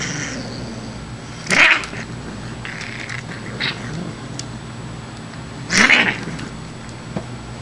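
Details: Female Siamese cat making funny hissing sounds while playing with a kitty tickler: two sharp, breathy, broadband bursts about four seconds apart, with a few softer rasps between and a low steady background hum.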